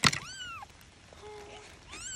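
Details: Bobcat kitten found while hiking by a girl and her dog: a high, thin mew that slides downward, then a shorter rising cry near the end, after a sharp knock at the start.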